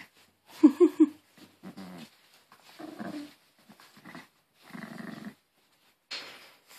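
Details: Pet Maltese Harry, possessive over his new Angry Birds toy indoors, gives a few sharp, loud growl bursts near the start, then quieter intermittent grumbles with silent gaps.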